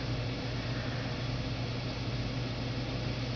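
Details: Constant whirring hiss with a low electrical hum, like a fan or appliance running indoors; nothing else is heard.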